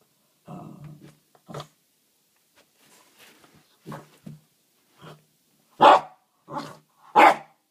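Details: Archie, a pet dog indoors, barking at a stone: short broken barks and low grumbles, spaced unevenly, building to three louder sharp barks near the end in a small room.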